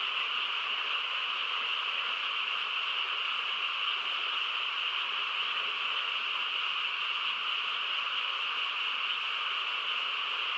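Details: On a still rural night, a frog chorus forms a thick, uninterrupted trilling hum, bright upper band over a softer lower one, steady in volume for about ten seconds with no other sounds.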